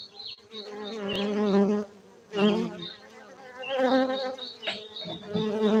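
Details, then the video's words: Many honey bees swarm around a honey-bee farm in Bener Meriah, Gayo highlands of Aceh, Indonesia; a loud, steady wing drone swells in waves, with brief dips between passes and thin high whines overhead. "Markaz lebah madu gayo Aceh Indonesia bener meriah"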